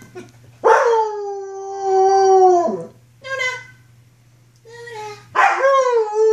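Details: Wolfdog puppy of roughly 6-7 months, recorded in 2013 during rough play, giving three howls: a long level tone, a shorter rising one, then a louder wavering howl, with a low steady hum underneath.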